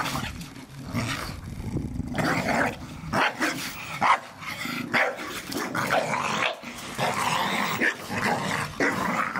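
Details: Several Staffordshire Bull Terriers playing in a garden, tearing apart a ball given for Christmas: a steady run of rough, rumbling growls and short gruff vocal bursts, irregular and overlapping, with scuffling underneath.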